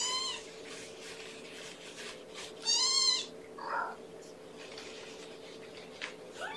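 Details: At a May 2018 breakfast, syringe-fed kitten Amber, daughter of Gamora, calls twice: a brief high meow, then a louder bending cry about two and a half seconds later, with soft rustling between.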